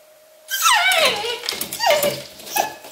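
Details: English Cocker Spaniel Luna, alone at home in Berlin during Germany's lockdown and suffering separation anxiety, gives loud whimpering cries that slide downward in pitch: two drawn-out wails, then a short whine, over a steady electrical hum.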